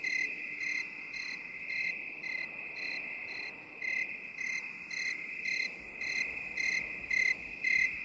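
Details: Cricket chirping in a binaural relaxation recording: a steady high trill with regular pulsed chirps, roughly two per second, over a faint hiss; no other sounds.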